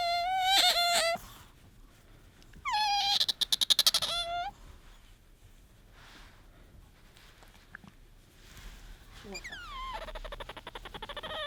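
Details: Pet otter squeaking for attention as a hand reaches toward it: loud, high, harmonic whistled squeaks with a steady tone, a rapid pulsed burst around three seconds, then rising squeaks near the end, with a person cheering in between.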